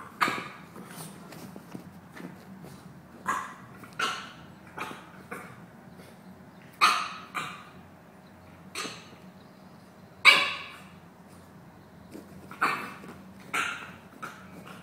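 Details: Two dogs at play, one naturally grumpy-sounding though only playing; about fifteen sharp, bright barks and gruff bursts come in irregular clusters over a faint steady hum.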